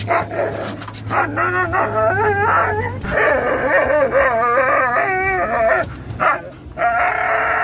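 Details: Three excited dogs on the way to PetSmart, led by a Norwegian Elkhound mix whose crazy whines and howls set off a Labrador mix and Rat Terrier; overlapping wavering howls and yelping whines almost nonstop, with car hum.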